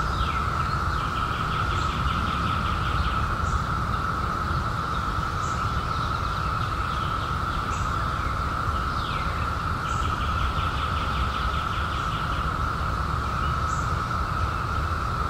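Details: Constant, level cicada drone from a 2021 emergence following a 17-year hiding, holding one unchanging tone throughout, overlaid by repeated short trilled bird phrases, sharp high chips and a low rumble of background noise.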